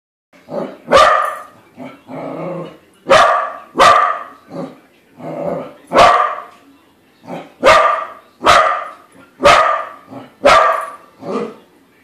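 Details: Pet corgi barking at a corgi-shaped balloon it has just discovered: a run of about eleven sharp, loud barks in irregular bursts, some doubled, with softer grumbling yips between them in a quiet indoor room.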